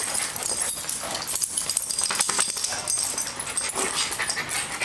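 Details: Zeus and Snapple, two dogs at play in daycare, January 2012: quick high yips and whimpering barks in rapid clusters against constant broadband background hiss.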